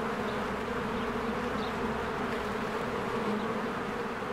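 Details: Swarms of honeybees flying around their hive in spring make a steady, layered buzz with no pauses. Two faint, high chirps briefly rise above the hum.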